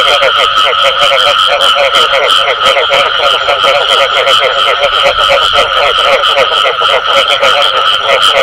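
A dense frog chorus of rapid, pulsing croaks overlapping without pause.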